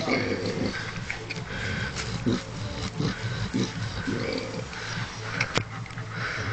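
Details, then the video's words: A sleeping Vietnamese pot-bellied pig snoring: low, rumbling breaths in a steady rhythm of roughly one per second, with soft murmuring human voices faintly in the background. "sleeping and snoring - Vietnamese Pot bellied pig"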